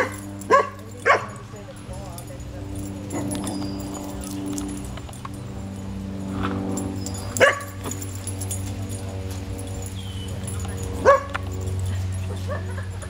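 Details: A dog at a cabin gives four short, sharp barks spaced irregularly, two close together at the start and single ones later, over steady people's talk and a low constant hum.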